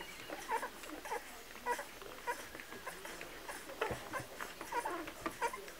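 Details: Milk-feeding Kromfohrländer puppies whine and squeak in quick, irregular succession, high reedy cries over soft shuffling and nuzzling noises in a small indoor space.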